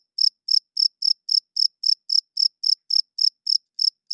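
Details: Cricket chirping loudly at night, a clean high-pitched pulsed chirp repeated about four times a second at a steady rhythm, with no other sounds in the background.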